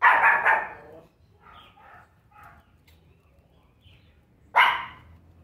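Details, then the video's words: A pinscher getting angry gives sharp, high-pitched barks, a burst at the start and another near the end, with music in the background. "Pinscher Pingo latindo!"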